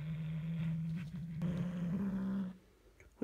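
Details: Pet cat Hulusi guarding its toy indoors, giving a continuous low rumbling growl for about two and a half seconds that wavers slightly in pitch, then quiet with a faint click at the end.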